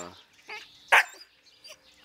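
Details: Ida, a young Jämthund, gives a single sharp bark at an older dog guarding a prized meat bone, playful rank-testing rather than a real fight. One loud burst stands between quieter sounds, with faint birdsong.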